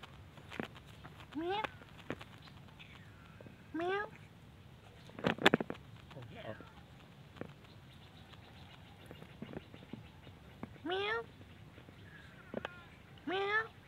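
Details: Pagoda cats, mother and kittens, beg for food with clear rising meows that bend upward and repeat every few seconds, separated by taps, clicks and a brief bump of handling noise.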